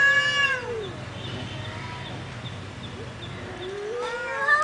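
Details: Two fighting cats: a descending yowl opens, a long quiet stretch of low background hum follows, then a rising wail returns at the close.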